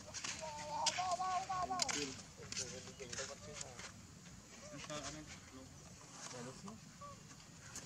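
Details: Baby monkey Leo cries in quick runs of short, wavering, tonal squeals, loudest and densest in the first two seconds, then softer scattered whimpers over a steady hiss with faint clicks.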